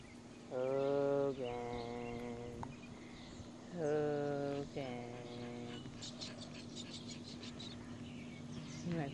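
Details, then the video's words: Six-week-old AKC English Bulldog puppies, a litter of boys from first-time parents Maris and Bow. Two drawn-out, steady-pitched cries of about a second each, followed by softer trailing whimpers, then a brief burst of rapid high ticking. "AKC English Bulldog Puppies at 6 weeks old"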